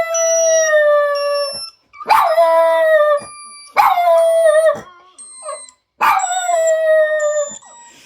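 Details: Two Jack Russell Terriers howling in reaction to funny noises: long, steady, mid-pitched howls with rich overtones, each lasting one to two seconds, in bursts with short gaps, with occasional electronic tones in the background.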